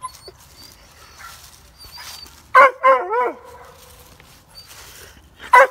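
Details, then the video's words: A German Shorthaired Pointer, his ball lost in a llama field beyond the fence, gives a sharp bark, then wavering, yelping barks, with one more bark after a pause. "The Llamas and the Barking German Shorthair Pointer"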